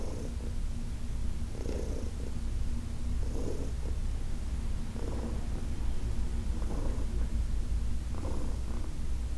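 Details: During an August 2021 massage, senior shelter-adopted cat Heidi keeps up a constant low purr, rhythmically punctuated by airy bursts roughly every two seconds as she breathes.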